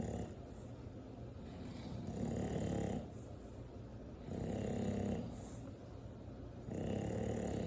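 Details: An 8-month-old English Bulldog snores in slow, rumbling bursts, each breath a rough low rasp lasting about a second.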